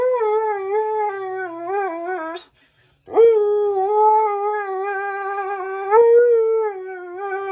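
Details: Keyush the Siberian Husky howling along to Flash by Queen: a long, tuneful, warbling howl breaks off for a brief silence, then a second sustained howl swells and wavers.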